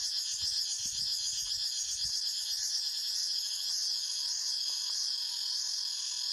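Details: Cicadas calling in a forest, a dense continuous high buzzing drone with a rapid pulsing shimmer and slowly wavering pitch, steady throughout, with faint low thumps early on.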